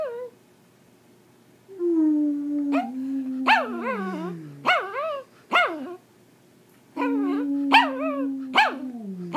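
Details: Pomeranian singing: a low steady drawn-out howl sliding gradually downward, overlaid with quick high yelping yips repeated roughly every second, then another long low tone with more yips.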